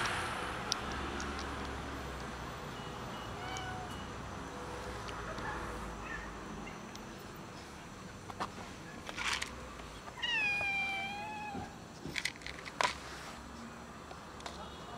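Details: Hiding before it finally gets fed, the cat Loaf gives one long, wavering meow with a slight downward bend late in the stretch. Scattered clicks and soft rustling fill the rest.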